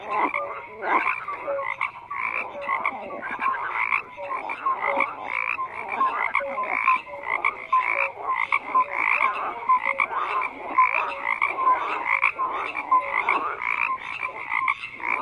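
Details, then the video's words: Dense frog chorus with pulsed croaks in regular bursts about every second, short clear tonal notes scattered among them, many callers heard at once. "FROGS CROAKING"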